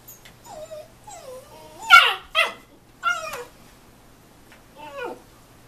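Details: Young husky getting mouthy with his dad in play: thin rising and falling whines build into loud, harsh yips and barks, then trail off into a soft whimper, over a low background hum.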